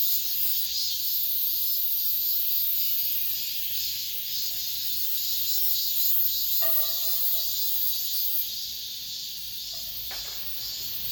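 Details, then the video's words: Cicadas singing in an apartment complex at the end of summer: a dense, steady high-pitched buzzing chorus with faint pulsing. From about six to ten seconds a lower, harmonic tonal sound joins in, then cuts off sharply. "올 여름 마지막 매미소리"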